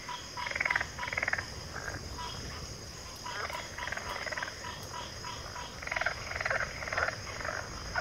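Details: Backwater frog chorus with many frogs giving rapid, rattling pulsed croaks in overlapping bursts about two per second, rising and fading in waves over a constant high, thin background drone.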